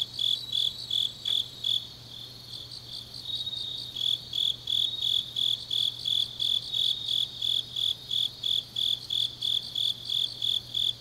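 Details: Autumn night grass insects in Changnyeong, Korea, chirping in quick high pulses about three times a second; the pulsing falters briefly near the start, then resumes over a constant shrill background trill and low hum.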